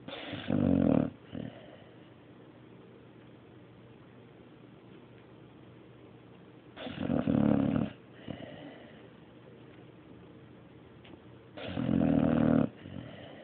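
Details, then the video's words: Mario, a sleeping dog, snores in a steady rhythm: three loud, buzzing, nasal snores spaced about five seconds apart, each with a short trailing exhale, over a quiet indoor background. "Mario snoring III"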